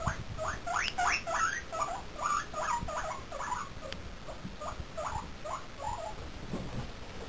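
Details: Domestic guinea pigs squeaking at a visiting chinchilla, a quick run of short upswept squeaks repeated several times a second, with soft rustling and patter underneath.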